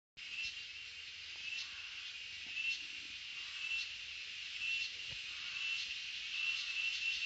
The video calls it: sound of cicadas